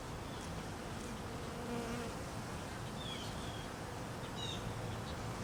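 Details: Hungry honey bees being fed during cold weather: a short, clearer droning buzz near the two-second mark stands over a constant low hum, with faint higher whines passing later.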